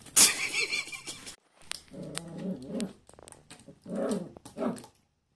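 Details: Schipperke puppy Vincent, indoors, playing with water by biting it and hitting it with his paws; a loud splash opens, then short low growling whines come in about four bursts roughly a second apart.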